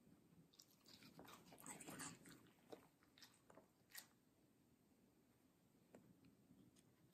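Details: Middle, a medium-size fluffy female Samoyed, bites into juicy, crunchy watermelon indoors in a close ASMR recording. Soft wet crunches cluster in the first four seconds, then sparse single bites follow over a quiet room.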